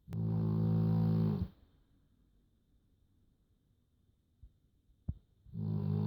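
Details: Joschi, a pet dog, snoring a little indoors: a long, low, buzzy harmonic rasp lasting over a second, then a quiet pause with faint breathing and a small click before the next snore begins.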